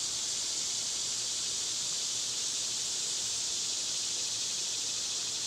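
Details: Cicadas in summer, loud at this time of year, make a continuous dense high-pitched hiss that stays steady and unbroken throughout, with no other clear sounds.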